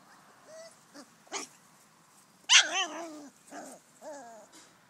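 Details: Bouvier des Flandres puppies, five weeks old, at play with their mother in the garden, giving a sharp burst of yelping barks with growly edges, followed by shorter whiny yips that bend downward in pitch.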